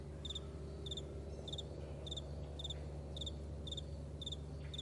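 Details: Morning meadow crickets: bright, high-pitched chirps in short bursts, spaced roughly every half second, above a constant deep hum.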